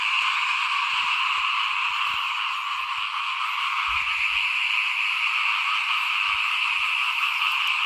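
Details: Many small frogs calling in front of a house at rice sowing time in 2021: a dense, unbroken trilling chorus with two steady bands, one mid-pitched and one higher, and a few faint low thumps beneath.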